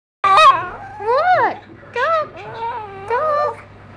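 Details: A female pet dog indoors "trying to talk": four expressive whining yowls, each bending up and down in pitch like speech, separated by short pauses.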